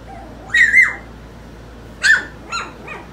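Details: Four-week-old puppies from one litter; three short, high squeaky yelps, the first a wavering double squeal, the next two quick and thinner, spread over about three seconds, with a woman's soft talking nearby.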